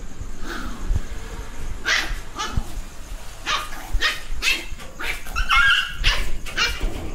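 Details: Young dog barking angrily as a warning not to touch it: short, sharp barks repeated about every half second, with some whimpering notes and people's voices in the background.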